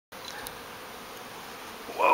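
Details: A large transient bee swarm gathered in a backyard fig tree just before lifting off, heard as a steady broadband hum that swells at the end as a man's voice exclaims.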